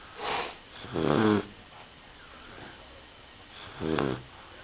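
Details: Rottweiler puppy snoring while asleep: three raspy, buzzy snore bursts, the middle one longest and strongest, with soft quiet breathing between them.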